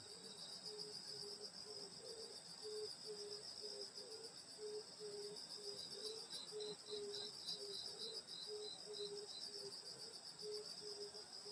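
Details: Grass insects on a summer night in the countryside at a grandmother's house: a continuous high shimmering trill chorus, with a lower, short pulsed note repeating steadily about twice a second throughout.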